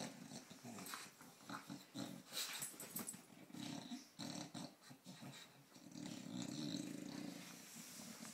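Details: Phoebe the British Bulldog plays with a cow in Australia, giving a low, rumbling growl that swells and fades in waves. Snorts, wheezy breaths and scuffling run through it.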